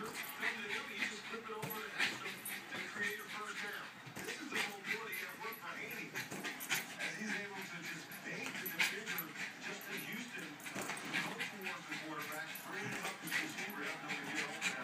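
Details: Jack Russell Terrier Betsy, playing with a balloon she loves to pop, whines and yips rapidly and unevenly, several sharp little cries per second, mixed with ongoing human chatter in the room.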